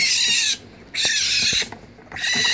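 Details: Hungry baby raccoons in wildlife rehabilitation, wanting their bottle while being cleaned. Three bursts of harsh, high, wavering squeals, each about half a second long, separated by quieter gaps with soft rustling.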